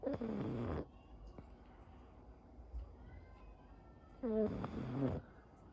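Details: Pug Anko, everyday snoring whether asleep or awake: two coarse, buzzy snore bursts at the start and end with a whiny nasal tone, a faint soft noise between them.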